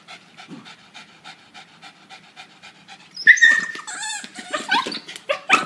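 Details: Pet dog playing with a yellow toy duck, panting in quick soft breaths about four per second for three seconds, followed by sharp high squeaks and people talking.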